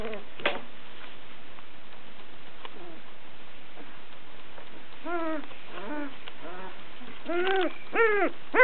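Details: Sussex Spaniel puppies, girls just over two weeks old, start mostly quiet with a couple of faint cries, then build to a series of loud, arched, harmonic whimpering squeals in the last few seconds.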